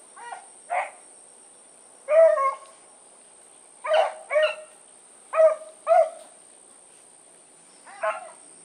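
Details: Hunting dogs of the Blackreek pack (Choco, Dino, Johnny Ringo and Mingo) let down for an evening run on 16 August 2014. Short harmonic barks and bays come singly and in pairs, with pauses between bursts over a quiet background.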